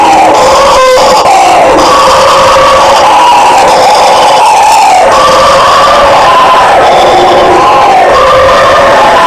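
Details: Several howler monkeys roaring together: loud, sustained, droning howls that rise and fall in pitch and overlap into a dense, rolling chorus, with a brief rattling sound near the start.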